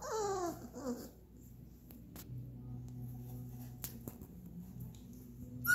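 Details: Three-week-old Labrador Retriever puppies, Maggie's litter of boys, indoors: a thin, wavering whine with rising and falling squeals fills the first second, followed by near silence with a low room hum and a few soft knocks.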